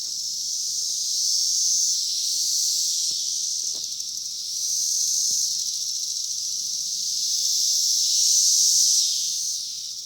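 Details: Cicadas in a cherry tree in 2021, a dense high hissing chorus that swells loudly and fades in three long waves, with faint low rumble beneath.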